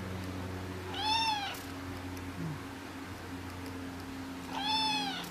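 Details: Young Persian cat, a kitten bidding goodnight, gives two bright harmonic meows about three and a half seconds apart, each arching up and down, with a constant electrical hum underneath.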